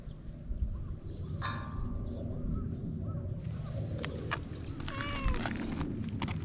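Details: Feral cats on a cat island in Japan, filmed with a GoPro HERO8; a harmonic meow around the middle and a longer falling, wavering meow near the end over steady low outdoor rumble.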